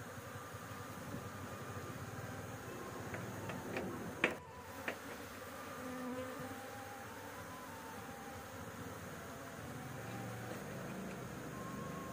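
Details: A honey harvest from bees nesting on a roof. A steady buzzing drone runs throughout, broken by a loud knock and a few handling clicks around the fourth second, then settles back to an even hum.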